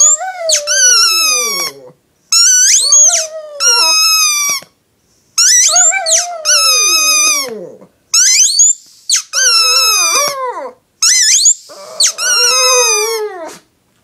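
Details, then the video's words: A female Shih Tzu gives high, wavering howls that slide up and down, howling along with her yellow squeaky toy as it squeaks. "Shih Tzu dog Lacey is howling, singing along with her squeaky toy 😂🐾"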